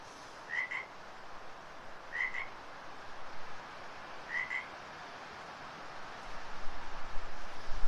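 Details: An unseen frog calling very close by indoors during a stretch class: short high chirps in pairs, repeated about every two seconds over a steady hiss, with rising background noise at the end.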